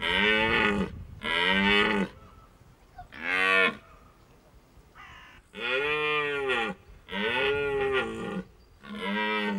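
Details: Red deer stags bellow during the rut at the end of September in Hohe Tauern National Park, Austria, a series of harmonic, arched calls, each about a second long, made to attract hinds.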